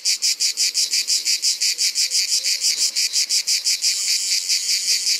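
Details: Provençal ash cicada singing in summer: rapid rhythmic buzzing pulses about five per second, which after four seconds merge into a continuous shrill drone.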